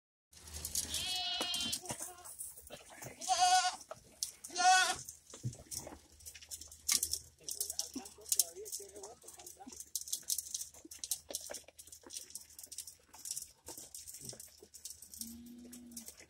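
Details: Goats and kids on a ranch in the countryside, several loud wavering bleats with strong harmonics in the first five seconds, then quieter rustling and chatter, a lower short bleat near the end.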